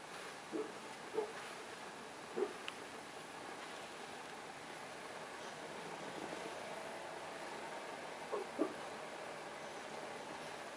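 An English Bulldog hiccups, giving short, soft jerky gulps spaced irregularly against a quiet hiss.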